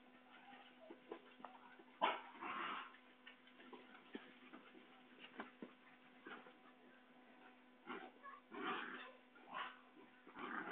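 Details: Basenji puppies at a kennel in Saraburi, Thailand, give brief high yips and soft whining squeaks, in quick clusters or alone, while running and play-fighting, calling their mother; a low electrical hum and scuffling underneath, 6 February 2011.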